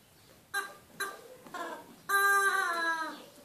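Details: Orrin, a border collie indoors, gives three short tonal yelping whines followed by a longer, steady, slightly falling whine lasting about a second, all clearly harmonic and loud in a small room.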